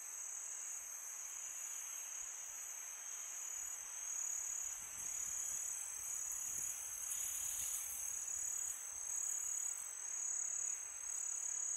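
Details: Crickets singing at night in summer, a constant piercing high trill that swells slightly louder midway, with gentle wind in the background.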